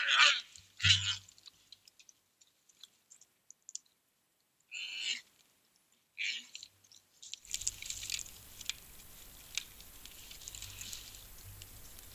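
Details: Black bear cubs with their mother at a bird feeder at night in Eugene, Oregon, in February 2026, recorded by a trail camera. The cubs throw tantrums over seeds. Short, harsh, whining cries come in three bursts, followed by steady rustling background noise.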